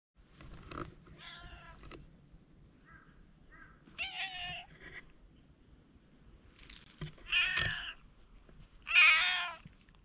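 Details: Wary stray cat approaching, filmed on a GoPro: short meows, some strained and some clearer and rising, scattered across ten seconds, the last two louder and harmonic-rich, with soft rustling underneath.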